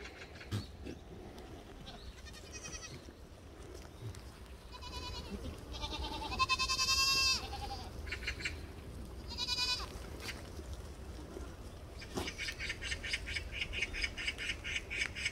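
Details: Black goats at Sunny's Black Goat Farm in Gimhae, South Korea: several wavering, quavering bleats rise and fall around the middle, then a rapid pulsed run of harsh calls toward the end over steady farm background noise.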